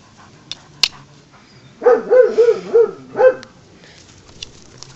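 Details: Kaiser, a German Shepherd too impatient to wait during ball play, kicking the ball over instead; a burst of four quick, tonal, whiny yelps followed by one more, amid quiet room noise and a couple of sharp clicks.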